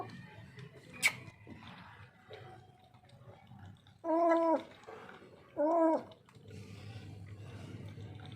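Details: A lone, hungry, thirsty and frightened street cat that turned up from somewhere gives two drawn-out, harmonic wailing meows about a second and a half apart, after a sharp click and low background rumble, with a man speaking quietly nearby.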